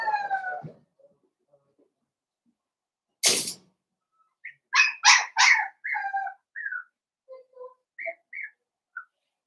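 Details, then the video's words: Blenheim Cavalier King Charles Spaniel puppies, born on New Year's, playing with their mother Paris: a drawn-out harmonic whine, a sharp knock, then a burst of high yips followed by scattered short squeaks. "Cavalier Puppies Play with Mama"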